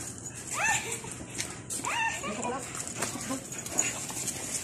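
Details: American Bully puppies at play give two high, falling whining yelps, one early and one near the two-second mark, over a steady hiss of background noise with faint voices.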